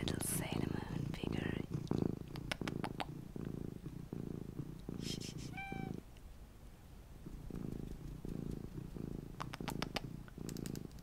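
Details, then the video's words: Mini domestic cat purring: low, throbbing purr in rhythmic pulses, pausing briefly, with a short faint meow near the middle; soft whispering and light tapping are heard over it. "my purring MINI Cat Luna"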